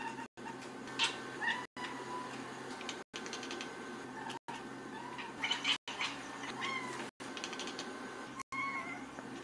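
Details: Domestic cat meowing in short, high, harmonic calls, several heard across a string of abruptly cut segments over a steady low background hum.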